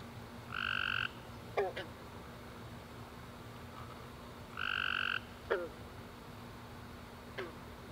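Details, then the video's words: Tree frog calling at night after a rainy summer day: two isolated buzzy trills about half a second long, four seconds apart, with quiet sharp clicks between and a low steady hum. "Tree Frog Chorus After A Warm Rainy Day"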